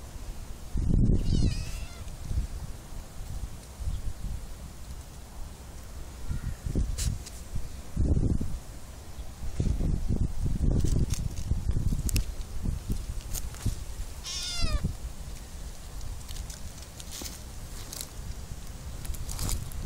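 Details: Several cats living in an olive garden in summer, with short harmonic meows at intervals, one clearer drawn-out mew near the end, over low rumbling background noise and rustling.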